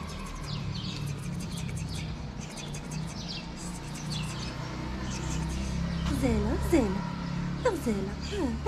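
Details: Stray street cats in Morocco, fed daily, looking up and asking for food and affection. Several short, rising-then-falling meows come in a quick run in the last seconds, over steady background chirping of small birds and a low hum.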